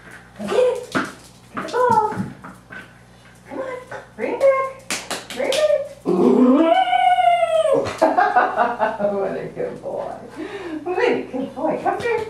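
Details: Norfolk Terrier puppy playing fetch at a boarding kennel, giving funny 'wooo' noises: short yelping whines, then a long arching howl-like whine that rises and falls, with people talking and laughing throughout.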